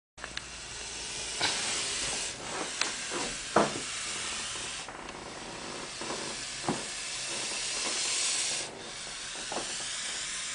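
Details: Sumatran spitting cobra giving long, breathy hisses, a broad airy rush lasting several seconds with short sharp pauses and a few clicks between.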